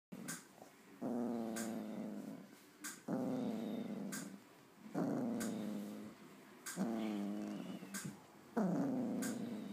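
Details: Rhodesian Ridgeback female dreaming in her sleep, growling: low rumbling growls in bursts of about one to two seconds, repeated five times with short quiet gaps, a few sharp clicks between them.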